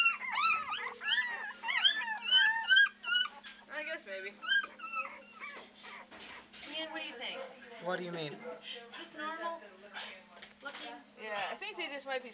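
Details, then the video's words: Three-week-old Beagle puppies at the Maryland SPCA shelter practice their baying: a rapid run of high, arched yelping howls, several per second, loudest in the first few seconds, with people chatting softly in the background. "3 week old Beagle babies baying away at the Maryland SPCA!"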